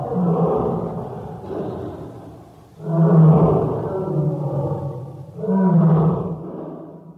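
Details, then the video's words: ["A tiger's deep, rolling roars, linked to moods such as happy, sad, hungry and angry: three long low moaning calls roughly every two and a half seconds, each rising in loudness, then sinking to a growl."] "호랑이 울음소리(feat. 기쁠 때, 슬플 때, 배고플 때, 화났을 때 등)"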